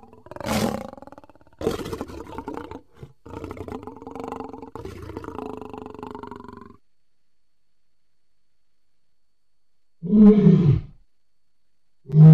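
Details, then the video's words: Lion, July 2016: a drawn-out groaning, moaning roar with a wavering tone lasting several seconds, then quiet, then two short, deep, heavy grunts near the end. "Amazing lion sound"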